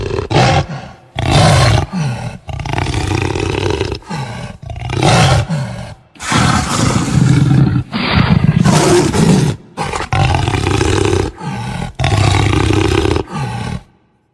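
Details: Jaguar growls and roars: a long sequence of coarse, deep bursts of varying length, some short and choppy, others drawn out over two seconds, each ending in sharp silences.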